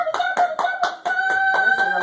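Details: Several poodle puppies piled together give high, thin squeals with a clear tone, repeated in a quick series of about four per second for two seconds. Someone talks to them just before and after.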